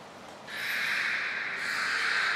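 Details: Beluga at Port of Nagoya Public Aquarium during a training session with Gray, Nana and Mirai, 7 June 2022; after a quiet half second a steady buzzy, nasal tone with stacked overtones holds for about two seconds.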